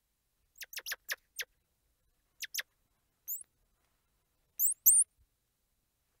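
Squirrel monkey giving quick, very high chirps and thin rising squeals in scattered bursts.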